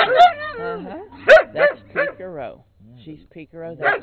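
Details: Rusty, a brown skinny mutt, barks up a storm beside Peekero, a red Husky, in later 2006; loud clipped barks and bending whine-like tones in quick bursts, a brief lull, then another bark, with human chatter.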